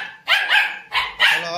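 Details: Indian Spitz pet dog barking three times, sharp high-pitched yaps with bright harmonics: two close together, then a pause and a third, with a person speaking softly nearby.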